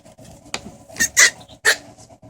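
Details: Pug puppies recorded indoors in August 2014: three short, high-pitched squeaky cries within about a second, the last one thin and piercing, over a low steady background hum.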